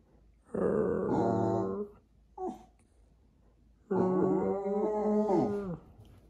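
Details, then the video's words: Jack Russell Terrier indoors vocalizing as if conversing with its owners: a wavering groan lasting over a second, a brief yelp, then a longer drawn-out moaning whine of nearly two seconds. "Jack Russell qui dialogue"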